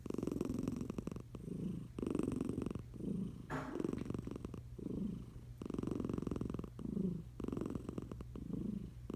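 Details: Eliza the tiger cat snores while sleeping under a blanket: regular buzzy, fluttering breaths about every second, one louder snorting breath midway, steady low hum behind.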